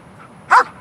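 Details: Single sharp bark from a black German Shepherd, a protection-trained dog excited by a ball; one short broadband burst late in the clip over low room noise.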